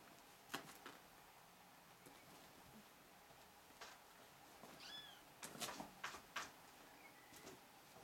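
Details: Four-week-old Ragdoll kittens romping at play; a few short, high, thin mews with bending pitch, one midway and another near the end, set among thumps, rustling and knocking from the tumbling kittens.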